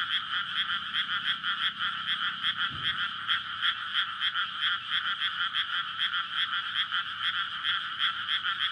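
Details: Frogs in a May rice paddy flooded for planting, calling at night in courtship; a thick, pulsing croak chorus repeating rapidly throughout, with a brief low thump near the third second from the nearby roadside.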